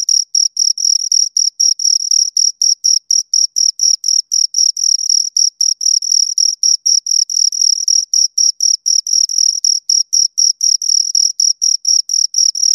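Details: Close recording of two crickets stridulating, a shrill, even pulse train of chirps at about four per second, slightly overlapping rhythms, nothing else audible.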